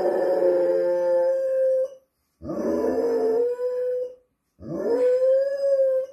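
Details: Pet dog howling like a wolf: three long tonal howls, each sliding up then holding steady, with rich harmonics, about two seconds apiece with short pauses between.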